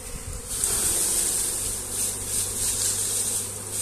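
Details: Honey bees buzzing as their hive is moved by hand: a dense, steady swarm drone with a hissing high band that swells and fades every second or so over a low constant hum.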